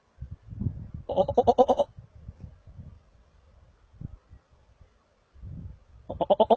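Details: Markhor calling in the wild at Chitral Gol National Park, Pakistan: a loud, vibrating, pulsed bleat lasting under a second, then low grunting and rustling, and a second stuttering bleat beginning near the end.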